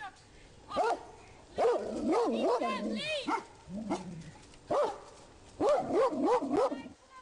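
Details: Rhodesian Ridgebacks barking in a public park, warning their owner of a man hidden among trees. A few single barks lead into a run of quick, rising-and-falling barks, then a pause and another short volley, with a man speaking nearby.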